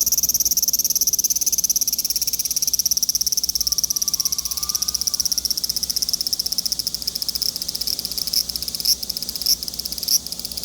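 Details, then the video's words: Large brown cicada calling: a dense, continuous sizzling pulsed drone, steady throughout with faint louder accents appearing near the end. "유지매미 울음소리"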